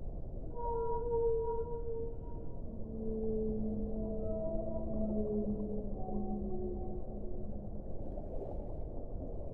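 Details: A whale sings a sequence of sustained tonal moans, several overlapping at different pitches, some gently sliding downward, each lasting one to three seconds against a steady dull rushing background.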